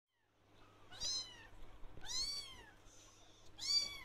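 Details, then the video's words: Blue lynx Ragdoll kitten wanting attention, calling out whenever it sees its owner: three clear, arching meows, each rising then falling, spaced about a second apart in a quiet room. "Blue Lynx Ragdoll Kitten Wants Attention"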